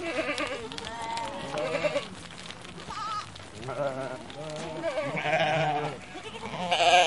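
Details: A flock of sheep passing by bleats, with overlapping wavering baas from several animals.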